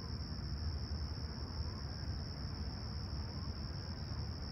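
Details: Chirping crickets at Toronto's Humber Bay Shores on a serene July 2020 summer sunrise, about 20ºC: a constant high-pitched ringing trill that never pauses, set against heavy low-frequency rumble.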